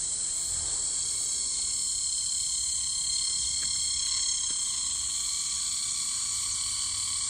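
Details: A summer cicada on tree bark, recorded close up, gives an intense, continuous, high, shrill hissing buzz without a break, with fainter lower humming tones beneath and no other animals standing out.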